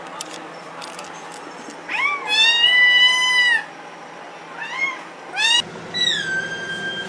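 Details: Kittens meowing: two long high harmonic-rich meows, the first rising then held steady for over a second, followed by shorter rising mews and a final drawn-out meow, with faint background noise.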